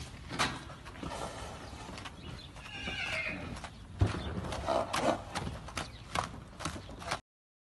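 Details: Purebred Arabian filly whinnying: a wavering, harmonic neigh midway through, with hoof clip-clop and sharp thuds throughout.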